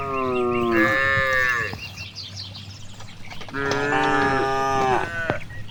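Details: Cows grazing in a vast green rice field giving two long, strongly harmonic moos, the first gliding downward and tailing off, the second steadier and more drawn out, over a steady low rumble and faint bird chirps.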